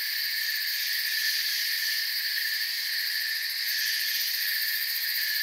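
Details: Continuous cricket chirping in a forest: several shrill, buzzy pitch layers hold steady throughout, with a slight flicker in the highest band and no other animals or noises.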